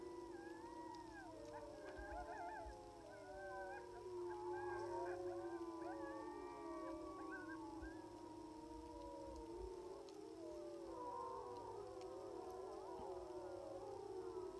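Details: Sixteen timber (gray) wolves on a ridge about 700 yards away howl together in a dense chorus of long, wavering, overlapping voices, answering an electronic coyote call, in Wrangell–St Elias National Park, Alaska, September 2018.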